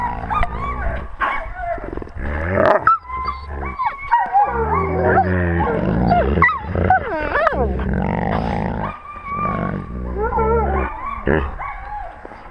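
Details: Wolf pack heard through a GoPro camera at wolf level: a dense chorus of yips, whimpers, squeals and wavering whines from several animals, nearly continuous and excited, with low grumbling beneath.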